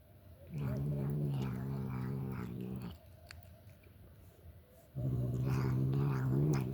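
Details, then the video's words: A domestic cat making strange noises while eating: two drawn-out, low, buzzy harmonic moans, the first about two seconds long, then a pause, then another rising slightly at the end, with faint clicks between. "makes strange noises while eating"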